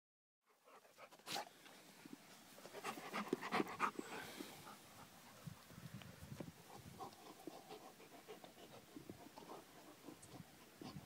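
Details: A Labrador Retriever waiting for Santa pants fast and steadily, about three to four breaths a second. The breaths are loud and uneven early on, then settle into a softer, regular rhythm.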